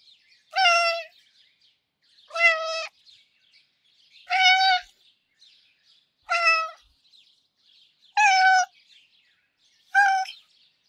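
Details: Russian Blue cats Fangs and Afori, described as very sweet and gentle in character, give six short harmonic meows spaced about two seconds apart, each clear and steady in pitch against a quiet background.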